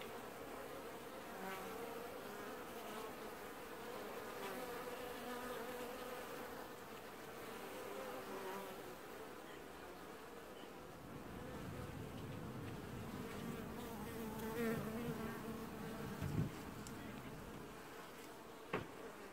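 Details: Washboarding honey bee colony at an apiary hive, early July 2019: a constant humming buzz that thickens into a low roar after about eleven seconds, with occasional short taps and clicks.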